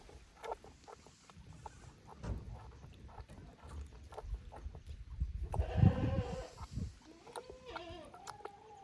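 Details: Goat kids at Yoshigake goat farm in Japan, visiting another pasture on 15 May 2024. After rustling and low thumping, a bleat sounds near six seconds and a thinner, wavering bleat follows around eight seconds.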